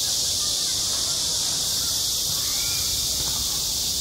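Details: Midsummer cicada chorus over a school playground, a continuous shrill hiss-like drone holding at one even level for the whole stretch, with only faint murmurs beneath.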